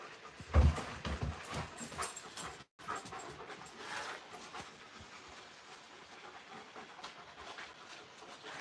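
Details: Two giant Alaskan Malamutes, a male and a female, play rough outdoors on an evening with tree frogs calling, biting at a harness and panting heavily in rough, breathy bursts.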